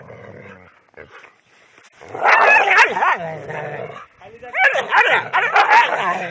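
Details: Domestic dogs fighting among themselves: loud snarling, growling and yelping in two intense bursts separated by a brief quieter pause, with harsh, wavering cries.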